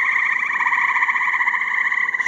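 A dense chorus of tree frogs forms one continuous, pulsing, reedy trill with no pauses.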